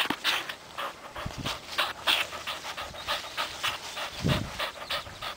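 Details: Buddy, a 4-month-old puppy, pants quickly while playing fetch and tumbling on his own, with rapid breathy huffs of about three per second throughout and a soft low thump near the end.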